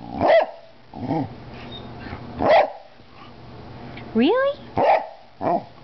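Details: An 11-year-old Cardigan Welsh Corgi gives short, sharp barks at uneven intervals while a person talks nearby; another 8-year-old Cardigan corgi is beside her.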